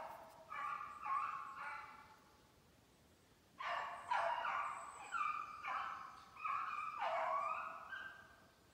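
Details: Kennel beagles conditioning on snowshoe hare in Maine, July 14, 2019, giving voice on the chase: a short burst of bays, a pause, then a longer run of ringing, wavering bays from more than one dog.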